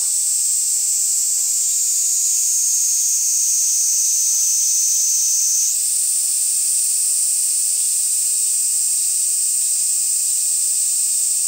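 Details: Cicada from Ibaraki Prefecture, Japan, producing an unbroken, piercing high-pitched hiss that dips slightly in pitch, then jumps back up around the midpoint and carries on steadily.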